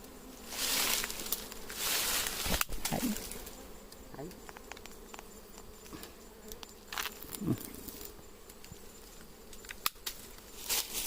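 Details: Wild honey bees found in mango trees in an orchard, a steady low buzzing hum running beneath loud rustling, snapping and handling noises as the nest is approached, with scattered sharp cracks and brushing sounds throughout.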